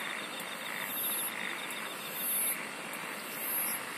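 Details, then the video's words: Singing insects make high, shrill buzzing bursts roughly every 1.2 seconds. A fine, even trill runs beneath them, lower pulsing calls rise and fall, and dense background hiss is continuous. "SINGING OF INSECTS"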